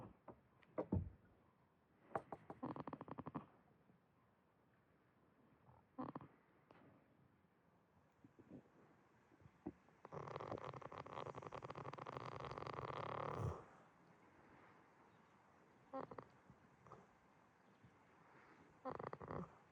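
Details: Goat Jitta dozing at Yoshigake farm, Himi, Toyama, Japan, gives short rattling snores at uneven intervals, plus one longer, noisier, drawn-out breath lasting over three seconds.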